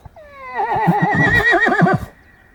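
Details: Horse on a mountain where a mother horse, a younger one and an approaching group of horses and donkeys lick a salt block, recorded from about 20 metres: a loud two-second whinny that glides down, then shakes in a quick wavering tremolo before cutting off.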